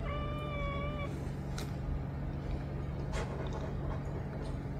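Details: Cat crying for attention, with one steady, drawn-out tonal meow of about a second at the start, followed by only a loud low hum and a few faint clicks.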